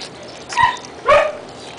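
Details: Four-week-old Siberian Husky puppies at feeding time, recorded 10 May 2009: two short, high, whining yelps about half a second apart, each with a slight falling tone, over a faint hiss of background noise.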